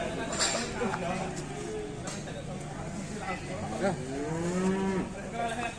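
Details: Raging cattle in Indonesia, a drawn-out rising then falling moo near the end after brief calls, with people talking and vehicle noise behind.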